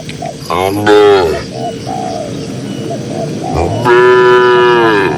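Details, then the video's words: Cows in a grassy pasture, dozens of them, produce two loud drawn-out moos, the first shorter and wavering, the second long and steady, with faint short higher notes between them. "Cows & Funny Moo Sounds"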